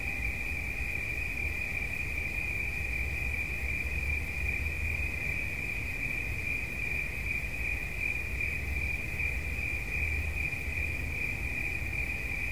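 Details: Unvarying, high, ringing cricket trill carrying on for the whole stretch, set against a soft background drone.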